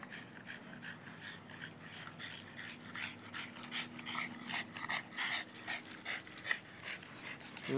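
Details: Six Boston Terriers named Zazu, Stitch, Baloney, Dixie, Gypsy and Bones play together at a dog party. Soft, scattered whimpers and thin high yips rise over a low steady hum, fairly quiet throughout, with a louder burst at the very end.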